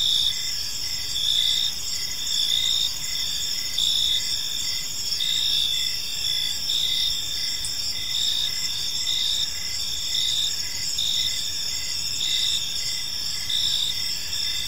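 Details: A chorus of crickets in an evening park: shrill pulsed chirps stacked in bands, loudness rising and falling about every second, steady throughout with muted low ambient noise.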